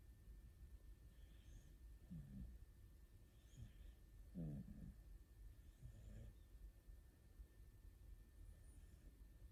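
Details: Snoring from two sleeping rescue cats, orange tabby Aruto and calico Ranka, curled up in an embrace; quiet, deep rasping breaths in brief irregular pulses a second or two apart, faint steady background hum.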